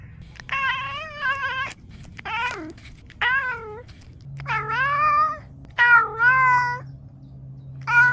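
A domestic cat gives a string of long, wavering meows, some bending down in pitch at the end.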